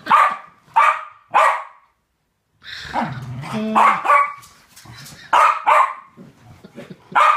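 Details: Game between two West Highland White Terriers: three evenly spaced sharp barks, a short pause, then a growly tussle with whiny, rumbling noises and further bright barks.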